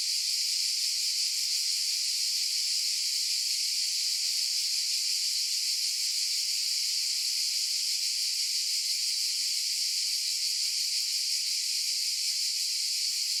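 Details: Massed cicadas keep up a harsh, hissing high whine without pause, the sound steady and unchanging in pitch and volume, free of birds, voices or background noise.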